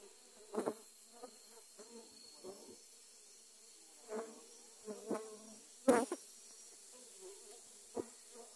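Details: Dwarf honey bees in an attack during grass cutting, clustered on the camera: a constant soft low hum broken by short loud buzzing swells and sharp clicks every second or so.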